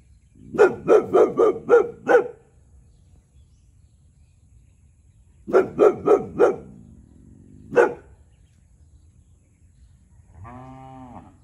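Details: Year-old Boxer dog Tyrion barking at the neighbour's cow out of territorial nature: two rapid bursts of about five barks each, a single bark, then a faint drawn-out tonal call near the end.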